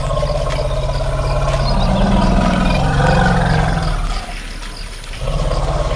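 An elephant gives a deep, droning rumble that swells and rises in pitch before fading.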